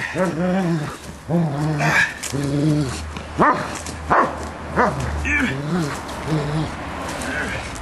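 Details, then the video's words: Bernese Mountain Dog play-fighting with its owner, biting softly; a series of low, harmonic growling barks and yelps repeated about every second, with some human voice in the background. "Bernese Mountain Dog - Fighting Play"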